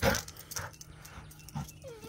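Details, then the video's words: Dixie, a female Chihuahua, 'talking': short yelping bursts, then a drawn-out whimpering whine that bends up and down near the end, over a low steady background hum. "Dixie Chihuahua talking"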